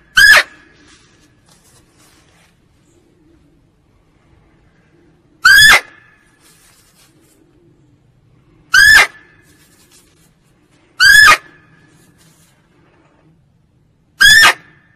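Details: A female barking deer gives loud, sharp single barks, spaced a few seconds apart over a quiet background, a call used to lure deer.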